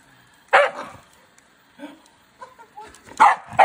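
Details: Scottish Terrier reacting to a EUFY robot vacuum: one loud bark, a quiet pause with soft grumbling sounds, then two more sharp barks close together.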